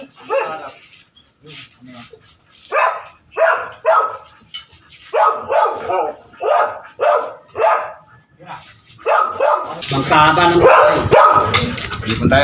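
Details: Dogs making noise as people share a meal: a long run of about a dozen short, rough barks spaced irregularly. Near the end, loud broadband noise and voices swamp the barking.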